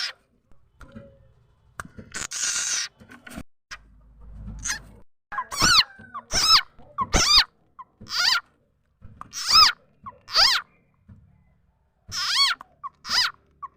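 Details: Frog called khiat cha na or khiat mo, whose call serves as a lure for trapping birds and fowl: a run of sharp, bending, squeaky cries with rich overtones, roughly one a second, after a short, muffled stretch at the start.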